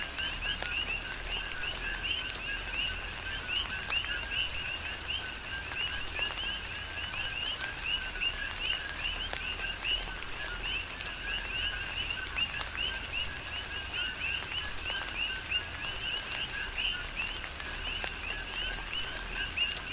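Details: Chorus of coqui frogs on Hawaii's Big Island during tropical rain: a continuous mesh of short repeated two-part chirps from several frogs, set against a steady hiss of falling rain and occasional louder drops.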